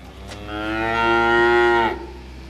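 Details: A cow mooing in conversation with other cows gives a long, drawn-out, whale-like moo that swells in the middle and ends abruptly.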